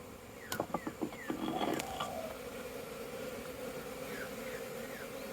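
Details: Honey bees at a crowded hive make orientation flights, 22 September 2022. A few sharp clicks and knocks come first, then an even, dense hum of many bees continues to the end.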